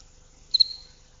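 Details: A house cricket's song, played as a quiet species-specific signal in a talk on insect communication, gives a single brief chirp, a quick double pulse of high, pure-toned trilling; House cricket.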